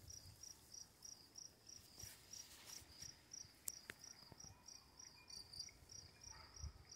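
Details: Crickets calling in the dark beside running water with quiet lightning: bright, high chirps repeated about three times a second, with a few faint clicks and a steady background hiss.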